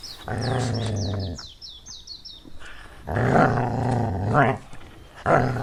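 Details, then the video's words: Puppy playing on green grass outdoors gives long, low, droning moans, each held about a second, with a rough growling edge and short gaps between them. Thin bird chirps sound faintly behind. "Adorable puppy playing on the green grass - Dog Barking Sounds - Dog sound"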